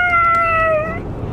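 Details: Female Siberian Husky yelling dramatically on the way to the groomers, giving one long, steady, tonal howl-like cry that drifts slightly lower before fading after about a second, over a low vehicle rumble.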